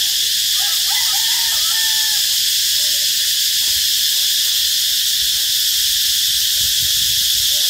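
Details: Loud cicada by a road into Bình Hòa B School, recorded 2 March 2023 at 11:44: a continuous shrill buzzing wall of sound, unchanging in level, with a few faint bird-like whistles early on.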